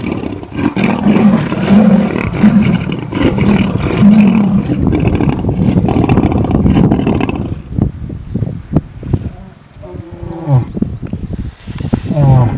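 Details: Lions at a buffalo kill fighting: rolling low growls pulse rapidly for several seconds, then fall away into sharper snarls and higher, strained yowling cries near the end.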